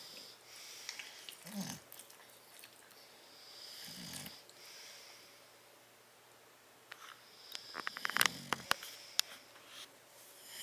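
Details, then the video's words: Tyson and Tyra, two bulldogs, sleeping in a crate on 10/30/12; a few short gravelly snorts, then a burst of clicking, snuffling sniffs and rustles near the end. "Tyson and Tyra Bulldog sleeping and snoring in crate"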